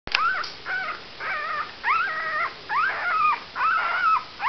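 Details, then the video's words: Eight-day-old puppies whimpering: high, wavering whines, some rising then flattening, roughly one per second over four and a half seconds, each with stacked bright overtones, little else audible. "Pups 8 days old"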